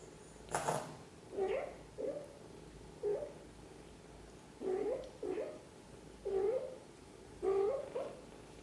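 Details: Cat mother gently caring for her kittens; a sharp click or tap at the start, then a series of short soft mews and chirps in quick pairs, some rising slightly, about nine calls in all.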